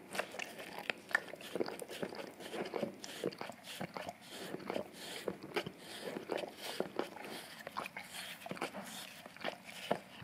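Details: English cream golden retriever, male, licking peanut butter off an Orapup tongue-cleaning brush taped down on tile indoors; rapid wet lapping, smacking and crunchy clicks repeating steadily throughout.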